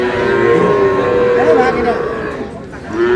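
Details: Sahiwal bull calves at the start of trading at Ambari market in Dinajpur on 11 May; a drawn-out tonal moo holds steady and wavers slightly, while buyers and sellers chatter and haggle loudly all around.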